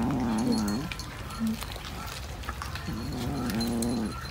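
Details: Cat yowling in short, low, warbling moans, each under a second long. A brief pause follows, then two more wavering wails rise and fall slightly. Low-level background noise is present throughout.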